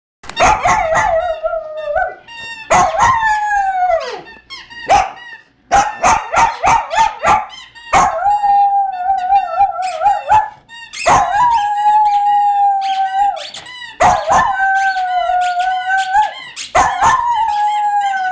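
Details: Poodle named Coolie howling like a wolf each time his toy dragon squeaks; long sustained tonal howls sliding and wavering, several drawn-out notes broken by sharp squeaky toy bursts and short yelps.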